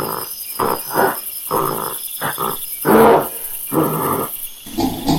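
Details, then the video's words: Monkey calls: a run of harsh, noisy bursts of varying length, roughly eight in five seconds, separated by short gaps, with a steady faint high hiss in the background. "MACACO- SOM DE MACACO- MONKEY SOUND"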